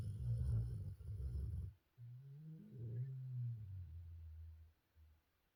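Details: Sleeping golden retriever Jinju from Busan giving a deep, drawn-out snore, a low throaty rumble that wavers slightly in pitch and then fades into a softer trailing breath.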